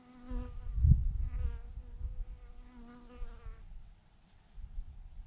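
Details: Bees by the thousand clustered in a huge clump on a branch, their even humming drone clear for over three seconds before dropping away, with gusty low rumbles of wind underneath.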